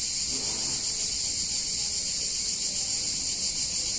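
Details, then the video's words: Steady, piercing buzz of massed cicadas on a hot summer day in a picturesque Italian town, even and continuous from start to finish with only faint low background noise. "Cicadas In Warm Summer Day In Italian Town"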